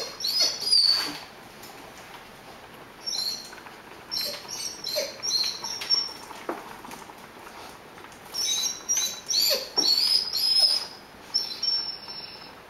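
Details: Male Rhodesian Ridgeback whining at the smell of ground beef cooking: high, thin tonal whines in clustered bursts, some wavering and sliding, separated by quiet gaps, over faint hissing background.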